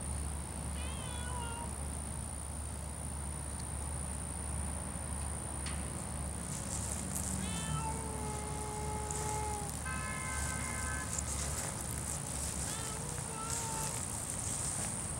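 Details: Savannah cat meowing while eyeing a stork it wants to catch, with birds and ducks nearby: a series of drawn-out tonal meows, some rising at the start, others long and level, over a steady low mechanical hum.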